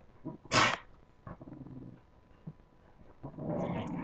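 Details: During puppy play, a sharp bark-like yelp opens, followed by soft low growls and a longer rising snarl at the close.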